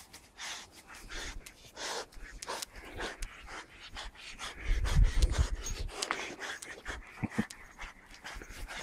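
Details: Captain Jack, an English Springer Spaniel, running around the garden collecting leaves, pants in quick breathy bursts, roughly three to four a second, over low rumbling thuds of movement and handling.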